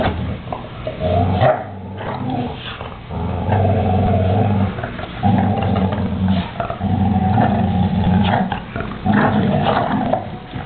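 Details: Growling from two male American Staffordshire Terriers tugging a toy: sustained, low, throaty growl bouts of one to two seconds separated by short quiet breaks, with a soft whine near the start.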